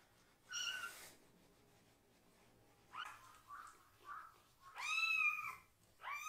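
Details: Young foster kitten crying out loudly during a bottom wash, one of three rescued siblings. Repeated piercing, harmonic meows, some short and choppy, one long drawn-out rising and falling wail near the end.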